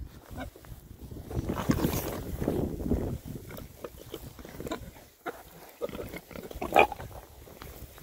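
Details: Rare-breed Oxford Sandy and Black pigs, a group of six boys, happily foraging in winter between storms. Deep, throaty oinks and grunts swell for several seconds, then give way to scattered snorts and snuffles, with one louder squeal near the end.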